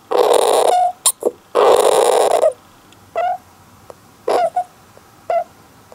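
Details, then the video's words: Don-chan, a male golden hamster kept alone in a cage, cries oddly, possibly drowsy or annoyed: two long raspy hissing bursts followed by short squeaks and clipped nasal squeals with brief silences between. "ハムスターの珍しい鳴き声 Hamster's rare cry"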